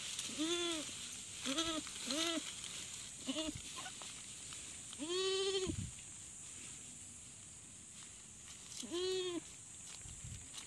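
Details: Goat bleating on a farm at a first assisted birthing: a series of quavering, nasal bleats, several short ones in quick succession, then one long drawn-out bleat and a final one, with a constant high hiss behind.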